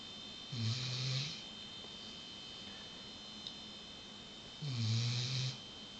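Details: A female Weimaraner napping in the afternoon with her head on a pillow snores in deep, rumbling breaths, each drawn-out snore about four seconds apart.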